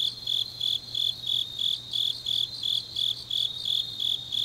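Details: Autumn night chorus of grass insects in Changnyeong, South Gyeongsang, South Korea: evenly spaced high chirps, roughly three each second, layered on a softer continuous trill, with a quiet low hum.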